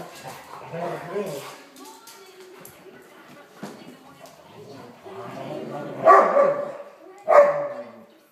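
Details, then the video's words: Two Weimaraners playing together. Low grumbling vocal sounds come first, then two sharp, loud barks about a second apart near the end. Human speech can be heard in the background. "Weimaraner's playing"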